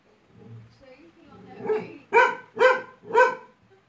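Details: Labrador Retriever Laizaqueen, a pet upset by a small toy, rises from a low, building growl into three rapid, forceful barks roughly half a second apart.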